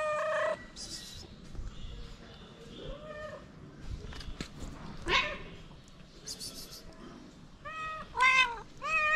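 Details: Homeless feral cats asking for food outdoors in the cold, giving scattered meows between rustling and handling noise, ending with three quick, rising, urgent meows in a row.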